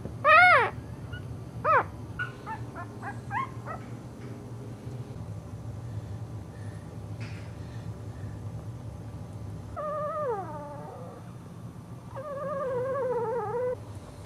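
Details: Cairn Terrier puppies give sharp falling yelps, then longer wavering, high-pitched whines over a low background hum.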